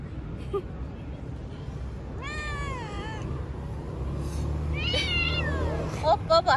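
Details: Stray street cat being petted outdoors gives a drawn-out, bending meow, followed by a second shorter, rising-then-falling meow; steady low traffic rumble throughout, with a few sharp clicks near the end.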